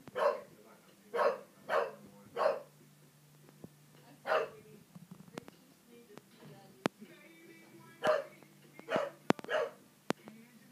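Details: A three-year-old English Bulldog barking at the television indoors: sharp barks in bursts, four quick ones, a single bark, then three more, over a low steady hum with faint television sounds and clicks between.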